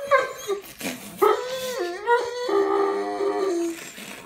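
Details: Tired Dobermann that seems to want to go to bed, giving a wavering, whining howl with rising and falling tones and a strong harmonic stack, broken by short gaps; music plays faintly behind.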